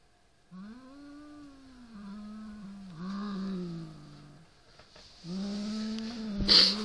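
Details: Pet Siamese cat confronting a rat toy, giving a run of long, moaning growls that rise and sag in pitch, separated by brief breaks, with a sharp click near the end.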